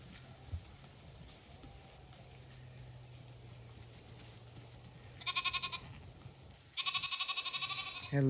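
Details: Zwartbles ewes and lambs grazing fresh greens and fruit trees in a paddock on a County Kilkenny farm, Ireland; low steady hum and rustling, then two short wavering bleats near the end, the second longer.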